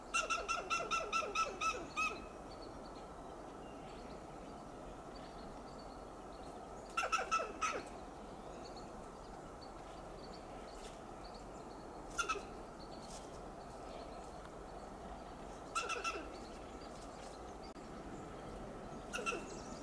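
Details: A Western gray squirrel (Sciurus griseus) on a coast live oak tree in Del Monte Forest, California, gives loud alarm calls: bursts of rapid, harsh chattering barks with quiet pauses between them.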